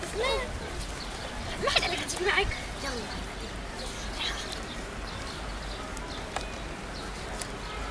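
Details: Stray kittens living on the street give short, high meows that rise then fall in pitch, several in quick succession over the first two and a half seconds, while people talk in Arabic nearby amid outdoor street noise.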